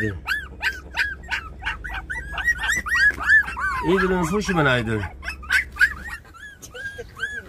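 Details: Puppies 24 days old, several at once, giving a rapid string of high, thin, arching squeaks and whimpers, about three per second, with a brief lower voice or laugh in the middle.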